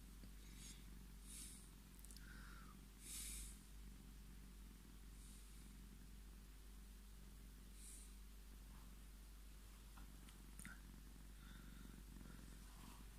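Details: Scottish Fold cat Tommy purring while demanding to be petted, a steady low rumbling drone with scattered clicks and brief higher rustling noises over it.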